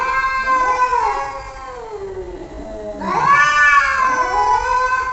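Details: Domestic cat reacting to funny sounds played to it: two long, wavering, drawn-out meows, the first sliding downward, the second rising then holding steady, with a brief quieter dip between them.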